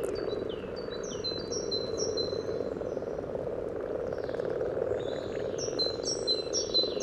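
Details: Common frogs calling at a spawning site beside the yellow trail in Sunnersta, Uppsala, recorded with a parabolic reflector: a dense, continuous low purring chorus, with birds giving short high descending whistles repeated above it.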